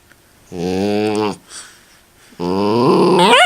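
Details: Miniature Dachshund vocalizing indoors in a small room: two sustained, low, buzzy groaning growls about a second each, the second ending in a rising, wavering whine.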